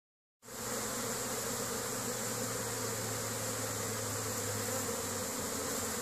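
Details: Honey bees of a hive colony in Caribou, Nova Scotia, Canada, foraging and bringing pollen home on 10 May 2015 in spring: a steady, dense buzzing hum from many bees begins after a brief silence and continues evenly throughout.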